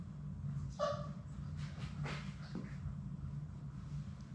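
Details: Labrador Retriever puppies, Sadie's litter of six, at play in their play room; one brief high whimpering whine near the start, followed by soft yips and scuffling over a steady low hum.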